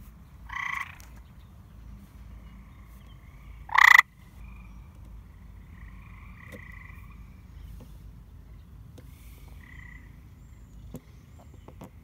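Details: White and green frogs that have taken over a neglected backyard pool, said to be very loud at dusk: a quiet scene with two short, sharp harmonic calls and a few faint pulsed notes in between.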